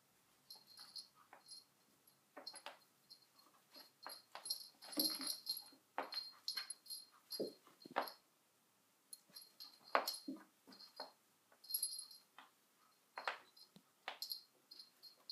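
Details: Sona, a dog, with a cushion: short breathy, snuffly bursts and faint whimper-like sounds come in irregular clusters, separated by brief pauses, with a steady high hiss in the background.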